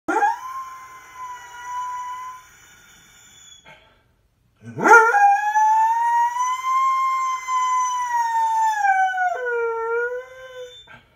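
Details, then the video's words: Rescue mixed-breed female dog, said by DNA test to be Pit Bull, Doberman, Husky, Boxer and Dalmatian, howling indoors; a first shorter howl, a pause, then a long sustained howl rising sharply then held, ending in a lower wavering tail. "Howling Pit Bull/Doberman/Husky/Boxer/Dalmatian mix"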